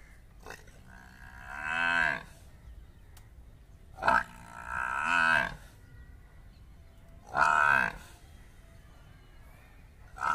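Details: Murrah buffalo, a female and a male during mating, giving three loud, drawn-out bellowing moans. Each lasts about a second and swells then falls in pitch, and they come roughly three seconds apart over a quiet background.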